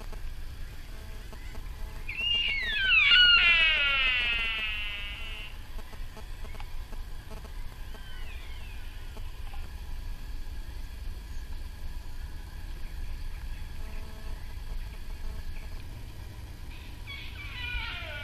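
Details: At RSPB Arne in Dorset, 15 October 2013, a sika deer gives a rising then falling harmonic squeal of about three seconds. A second, fainter descending call comes near the end, over steady low background rumble.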